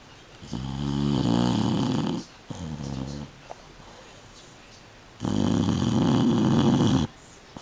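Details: Shar-Pei dog asleep indoors, snoring: loud rasping breaths with a droning buzz. One lasts about a second and a half, a softer one follows, then after a quiet gap comes another long, rough snore.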